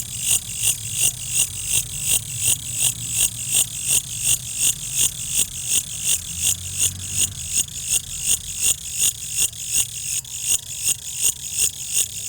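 A cricket gives high, shrill chirps in a steady rhythm, almost three each second.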